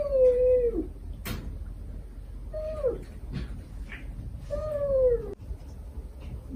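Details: Stray mother cat with five kittens, the mother's gentle call to her young and the kittens' pleading replies; three falling meows spaced about two seconds apart, with a sharp click and faint chirp between.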